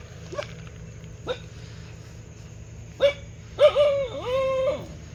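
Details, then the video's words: Dog gives short sharp barks spaced about a second apart, ending in a longer whining, wavering yelp, over a steady low background hum. "Dog Barking Sound Effect|Cute Dog Barking"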